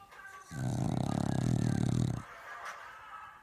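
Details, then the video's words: A sleeping pet dog snores once: a rough, rattling, low breath lasting under two seconds, followed by quiet room noise. "Is Snoring"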